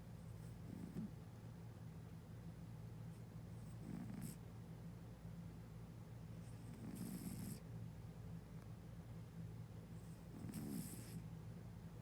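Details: Sleeping cat snoring with noisy breathing, four rough breaths spaced about three seconds apart, each a brief low rasp with a faint hiss, over a constant low droning hum.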